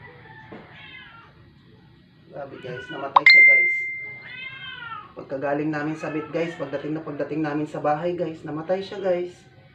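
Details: Dying rescued stray cat kept indoors, brought home after vet treatment for not eating for 12 days; a long, bending meow sounds early on, followed by a dense stretch of layered voices and murmuring.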